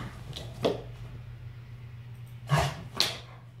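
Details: Chihuahua sneezing: three sharp, noisy bursts spaced unevenly, the first alone, the last two in quick succession, over a steady low hum.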